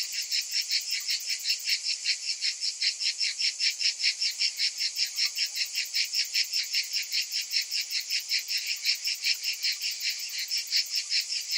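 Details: A summer cicada chorus: a continuous, hissing, high buzz made of many insects, throbbing in regular pulses roughly every 0.4 seconds, with no birds, wind or voices heard.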